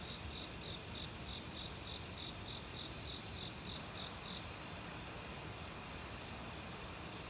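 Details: Autumn cricket chorus in woodland near a stream: a run of rapid shrill pulses in the first half, then only steady high insect buzzing, all over dense rushing water noise.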